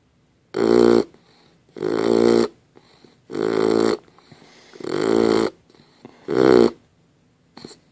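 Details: Dozer, a dog, snoring in his sleep: five steady, grating snores roughly every one and a half seconds, each loud and raspy, followed by a short soft snort at the end.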